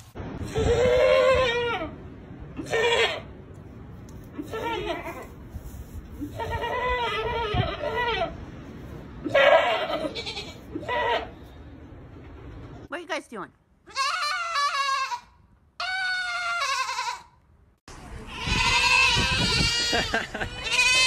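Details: Baby goats screaming, gathered from funny short online clips: loud, harsh, wavering bleats with strong harmonics, some drawn out over a second or more, coming in bursts with short pauses; later cries sound sharper and higher after abrupt cuts.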